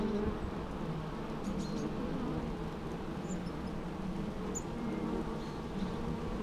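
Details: Natural bee sounds, a continuous low buzzing drone with layered humming tones and faint high squeaks at moments.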